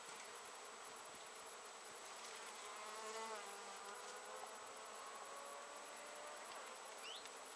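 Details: Honey bees foraging in large numbers around Japanese knotweed bushes, a late-season nectar plant, on 14 September 2013; a steady, dense, diffuse hum of many wings continues throughout, rising slightly in intensity around the middle, with a constant high-pitched tone above.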